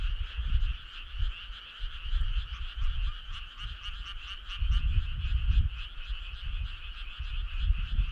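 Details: Frog chorus on a midsummer night along a starry country road: dense, steady trilling of many callers in two bright bands, pulsing rapidly throughout, over intermittent low rumbling bursts.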